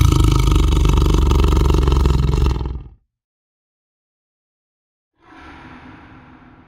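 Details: Lion gives a loud, sustained, deep roar of almost three seconds that cuts off sharply; after a silence a quieter, low rumbling roar follows.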